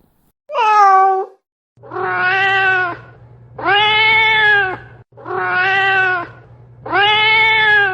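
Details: Domestic cat meowing insistently: one short higher mew, then four long, loud, drawn-out meows about a second apart, over a steady low electrical hum.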